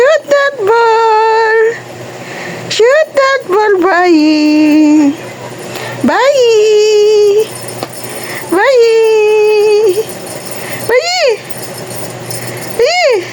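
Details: Talking cat meowing repeatedly indoors, with long, clear, tonal calls that rise sharply then hold level or sink, alternating with shorter chirp-like meows, in a small room.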